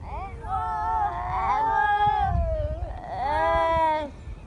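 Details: Newly born seal pup at Donna Nook calling for its mother: two long, wavering, nasal wails, each about a second and a half, the second rising then sliding down, over low rumbling wind.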